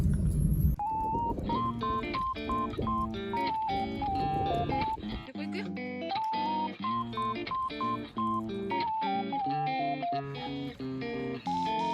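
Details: Plucked guitar music with a bright repeating melody plays throughout, over a brief bit of speech at the start.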